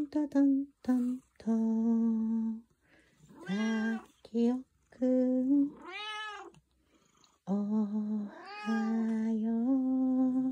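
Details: A tuxedo cat singing in answer to a morning greeting: a run of steady low hummed tones broken by a rising-and-falling arched meow and several wavering, warbled notes over about ten seconds.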